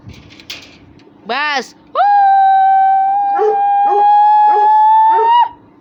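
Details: Russian Hound whining during rough play with other dogs: a short rising cry, then a long, level, whistle-like whine lasting over three seconds, overlapped by a series of short yelps.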